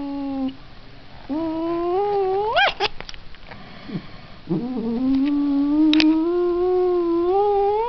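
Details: Domestic cat caterwauling indoors: drawn-out, wavering yowls that bend upward, a short low note first, then a long climbing wail, with a few sharp clicks between.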